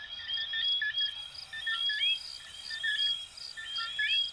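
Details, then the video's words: Close coquí frog chorus from Venezuela and Puerto Rico: several callers trade quick chirps followed by clear upward-gliding whistles, roughly one per second, above an unbroken high-pitched insect drone. "Sonidos de Ranitas de Venezuela 🇻🇪 y Puerto Rico 🇵🇷 "Coquí""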